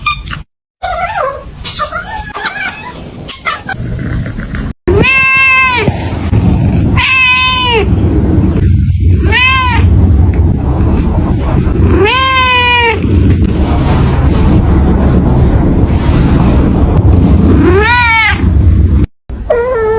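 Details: Cat meowing amid clicks and handling noises: four loud, long meows spaced a few seconds apart, each arched and slightly falling, over a strong low rumbling background, with brief silent cuts.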